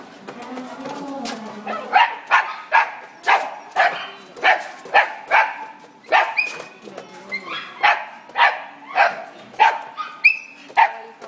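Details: Dog yelping at an Italian Greyhound indoors; sharp high yelps come roughly every half second to second in an uneven run, some with squealing upward tails, and a woman speaks briefly.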